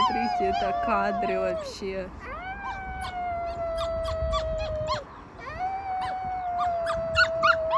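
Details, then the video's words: Wolf pups from a group of rescued wild animals give long, level, slightly falling howls that overlap and restart, with yelping chatter at the start and scattered clicks throughout. "ВОЙ ВОЛЧАТ"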